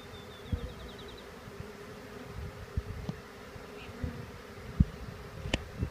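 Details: Honeybee swarm shaken into a hive with two quick shakes; a steady low buzzing hum runs under irregular knocks and thumps, one sharper crack near the end.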